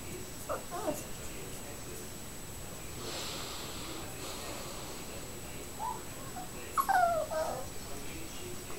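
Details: Nine-week-old Coton de Tulear puppies: faint short squeaks early on, then one clear high whine that bends downward near the end, over steady room hiss with a quiet human voice.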